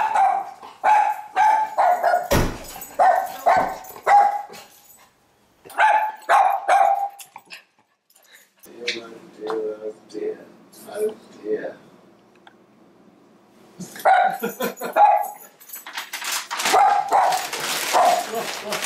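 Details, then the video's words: Little female Schnauzer barking to greet arriving guests: loud, sharp barks fired in quick bursts of four to six, separated by short pauses, with a stretch of softer, lower sounds midway and a final flurry of barks amid rustling. "Little DOG, Big BARK. The SCHNAUZER rules the roost"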